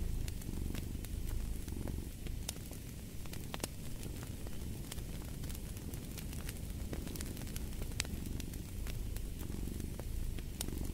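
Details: Domestic cat purring as a low, steady rumble under sharp crackles and pops from a burning fireplace, played as a sleep and relaxation soundscape.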